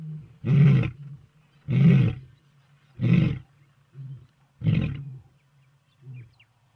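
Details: Old and young lions: four deep, powerful roars about a second apart, then softer trailing grunts fading out.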